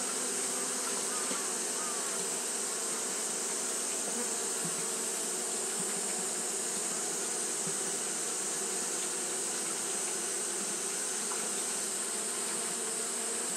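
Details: Japanese honey bees fanning throughout a hot day make a long, unvarying hum of many wings, with low tonal bands and a bright hiss and only slight flickers in the drone.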